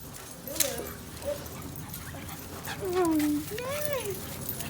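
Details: Basenjis, four of them running and playing together at a dog park in 2019, give short whining yelps that rise and fall, then a longer sliding whine near the three-second mark, with people chatting and calling out in the background.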